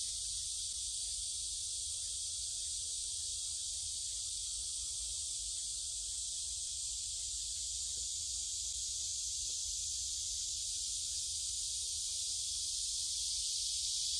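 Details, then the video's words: Cicadas in chorus along a forest path at Gyerim, Gyeongju, 16 July 2022, captured by phone while strolling; an unbroken shrill, buzzing wash of song holds even throughout, with low handling rumble and faint scattered mid-range sounds. "매미들이 노래하는 '경주 계림'"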